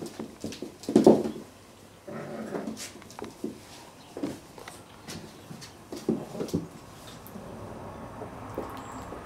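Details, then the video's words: Domestic cats in a real fight, a loud low growling burst near the one-second mark followed by shorter rough growls and scattered knocks and rustling in a small indoor space. "Real Cat Fighting / Cat fight"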